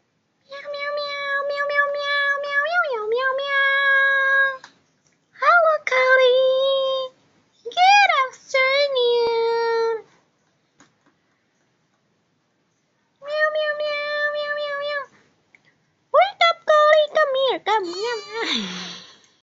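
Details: A 3-month-old Siamese kitten gives long, loud, wavering meows in a series of drawn-out calls.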